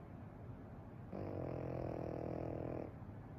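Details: Pekingese dog snoring continuously while sound asleep; a single sustained, buzzy, rattling snore with a steady harmonic drone lasting under two seconds, framed by quiet room noise.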